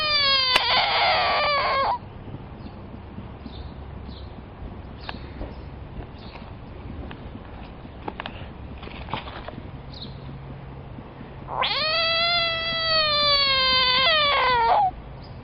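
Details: Frog calling when threatened: two long, loud, wailing cries with rich harmonics, the first about two seconds at the start and the second about three and a half seconds near the end, with only faint clicks and rustles between.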